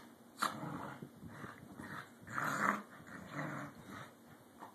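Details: Two pet corgis playfully contest dominance: short gruff growls and snarls repeat irregularly, with a sharper yelp-like accent early and a louder growl around the middle.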